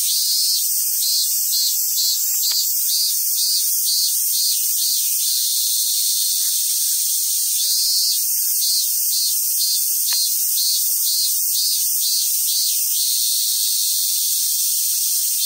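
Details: Summer cicadas singing at a wild Japanese macaque park on Awaji Island, Hyogo, Japan: continuous shrill buzzing wall of sound, with pulsed throbbing bursts early and again midway, plus a couple of sharp clicks.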